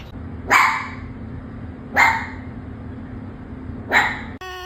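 A fox gives three short, harsh, raspy barks spaced about one and a half seconds apart.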